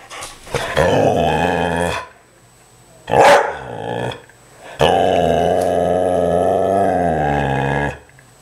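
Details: Dog worked up over a squirrel in the front yard, giving long, tonal, growling whines, one lasting about two seconds and another about three seconds, with a sharp bark between them.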